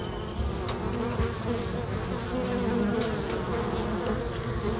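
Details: Many honey bees busy at a local bee box drone together in a dense, steady, low continuous hum.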